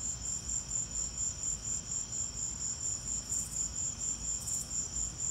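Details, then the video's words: Crickets chirping during a lightning storm, a steady high pulsing trill repeated about twice a second, with a faint low rumble beneath. "Lightning and crickets!"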